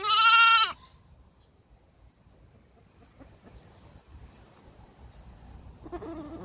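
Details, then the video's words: Baby goats calling: one loud, wavering bleat of under a second opens the clip, followed by long near-silence and a faint, lower bleat near the end. "BABY GOAT SOUND EFFECT 아기 염소 울음소리"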